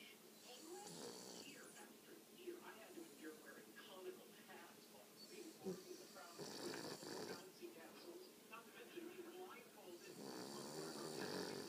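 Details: Buggs, a pet dog, snores while asleep: rasping, breathy snores swell every few seconds, with a person talking softly in between.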